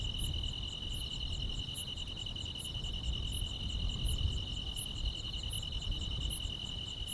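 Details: Grass insects chirping on a summer night. A continuous ringing trill holds steady while sharp high pulses tick at a regular beat, all above a noticeable low rumble.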